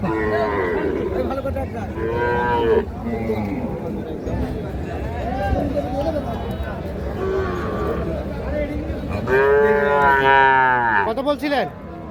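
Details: Young Sahiwal calves at Ambari cattle market, Parbatipur, Dinajpur district, on 31/1/26. Drawn-out harmonic moos rise and fall near the start and again toward the end, over a steady hum of crowd chatter and bargaining voices.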